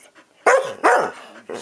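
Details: Two pet dogs bark back and forth as if arguing like an old married couple; three sharp, harsh barks burst out in quick succession, with faint background noise between them.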